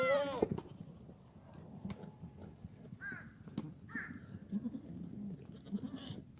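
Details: Black goat in a foggy farm yard in Gimhae, South Korea, 29 March 2019; a loud bending bleat opens, then quieter faint calls and scattered knocks over a low background hum.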